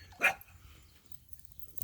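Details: Miniature Dachshund puppies at play with their mother: a single sharp, bright bark, followed by near silence.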